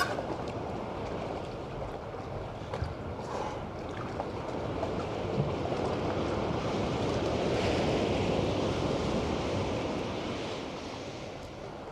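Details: Underwater wash of waves and a low engine-like drone, without any clicks or whistles.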